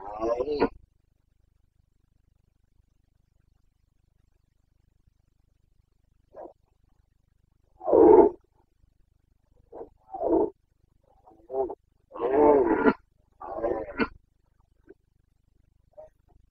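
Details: Carpathian red deer stag roaring during the autumn rut in Bucovina, Romania, 29 September 2022; loud harsh bursts with long silences between, a run of grunting roars clustered near the end, no other sounds.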